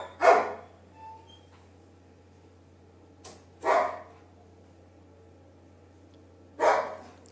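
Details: Labrador Retriever named Duke, kept as a pet indoors, giving single sharp barks, three well-spaced woofs roughly every three seconds against a quiet room with a faint low hum.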